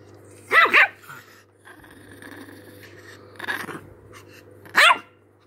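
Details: Angry chihuahua giving three short, sharp, high yapping barks spaced over five seconds, each with a brief rising-falling tone, separated by quiet gaps with a steady low hum in the background.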